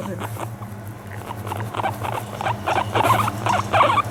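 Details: Pet guinea pig, home for about a month, relaxed on a lap while being brushed and fawning for affection; short pulsed chirping notes come in quick irregular bursts, about three a second, growing louder toward the end over a low steady hum.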